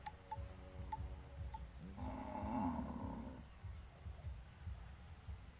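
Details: Livestock cattle gathering on a road before going to pasture; a single rough, harmonic moo lasting just over a second, preceded by faint short tonal clinks, with a steady low background rumble.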